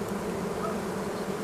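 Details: Honey bees in a spring hive, said to be in a working mood; a short, steady, low colony hum with no breaks.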